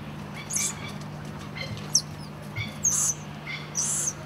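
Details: Two golden lion tamarin babies clinging to and hugging their mother give thin, very high chirps in short bursts, about one each second.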